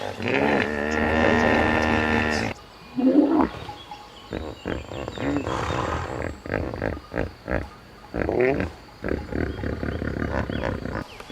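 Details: A hippopotamus produces a steady, droning roar with dense harmonics for over two seconds, followed by a loud snort and a long series of short, rapid grunting pulses.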